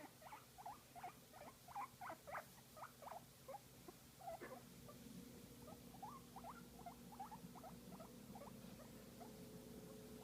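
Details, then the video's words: Guinea pig receiving a massage, uttering rapid bursts of short rising squeaks in quick chattering runs, louder in the first half, then a softer stream of ticking notes over a steady mechanical hum. "Guinea Pig Enjoying a Massage and Making Cute Sound"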